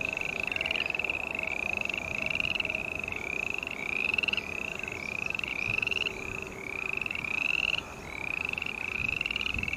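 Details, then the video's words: Green tree frog croaking in regular raspy, rising notes about every half second, over a hum of lower, fainter background calls. "Sounds of Green Tree Frog Call"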